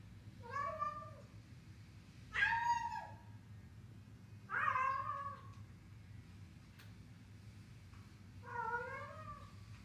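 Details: Domestic cat making sounds while eating: four short, bent, harmonic meows spaced about two seconds apart, some rising then falling, over a low steady background hum.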